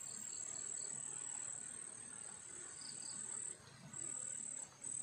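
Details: Crickets sing a steady, very high-pitched shrill trill at night beside rice fields under an overcast sky with wind, pausing only briefly.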